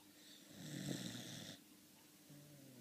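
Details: Molly, a pet dog, sleeping and snoring: one long raspy snore lasting about a second, broad and breathy over a low buzz, then a soft low exhale.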